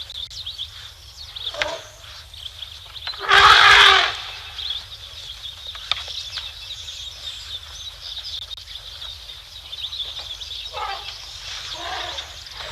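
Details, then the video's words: Elephants in excitement at Tembe Elephant Park, filmed by a live camera at 12:45 PM SAST on 3 October 2025; a single harsh, broad blast lasting under a second rises over steady twittering birds and insect buzz. "Excitement at the Elephants (sound on)"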